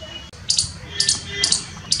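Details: In Jammu and Kashmir, India, an Indian palm squirrel chirps on a tree with sharp, high chirps repeated about twice a second; a baby and a mother squirrel are both said to be chirping.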